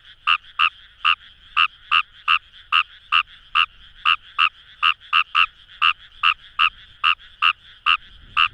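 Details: Paddy-field frog Fejervarya kawamurai, Itoshima, Fukuoka, Japan: about 136 crisp, clicky croaks per minute, slightly uneven in spacing, set against a soft continuous frog chorus, with a low rustle near the end.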